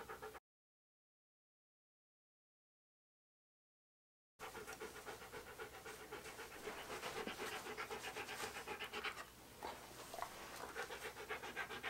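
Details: Key, a pet Siberian Husky posing for photographs, pants rapidly and rhythmically after a few seconds of silence; the breathing grows slightly louder and is briefly interrupted near the end.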